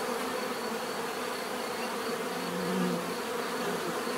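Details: A short stretch of bee buzzing, a steady low drone with a slightly louder buzz swelling near the end.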